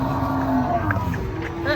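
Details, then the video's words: A rampaging cow being brought down off a truck gives a short, steady, low-pitched moo lasting about half a second, over background talk and handling noise. "SAPI NGAMUK RUSUH TURUN DARI TRUK"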